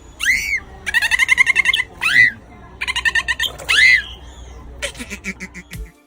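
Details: A dolphin at play gives three arched, rising-falling squeaky whistles between rapid, excited buzzy burst pulses, ending in a few scattered clicks; these play sounds are read as laughter-like.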